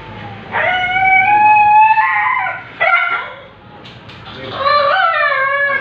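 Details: Siberian Husky during artificial insemination: a sustained howl-like whine held over a second, then a sharp yelp, a short pause, and another bending, drawn-out cry.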